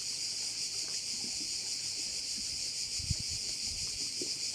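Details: On Korčula by a bay, crickets sustain a high, dense, whirring chorus with soft pulsing, while a short low thump sounds near the three-second mark.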